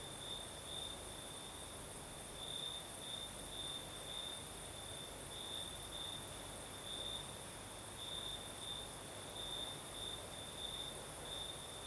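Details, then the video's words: Crickets singing on a southern night in Crimea, with a night breeze: a steady, high, pulsing trill held at one pitch throughout, a thin hiss of higher insect buzz above it, and the soft broadband rush of the breeze underneath. "Сверчки поют"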